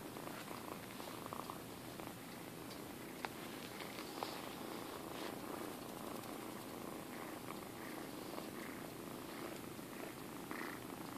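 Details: Minkie, a rescued kitten from High Plateau Humane Society in Alturas, California, purring for the camera indoors: a soft, steady low rumble running unbroken throughout, with faint clicks and a hushed room background.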